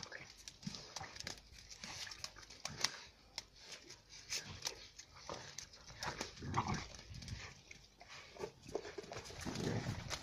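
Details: Fighting Central Asian shepherd puppies, the females Giranda and Gardarika from Tajikistan flock-dog lines, trade harsh growls and snarls in quick, uneven bursts, with scuffling, clicks and some human speech in the background.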